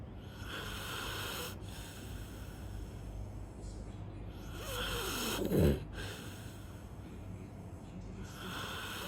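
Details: Sleeping golden retriever, described as fat, snoring in low rasping breaths. Broad noisy swells recur every few seconds, and a nasal wheezing whistle rises near the middle.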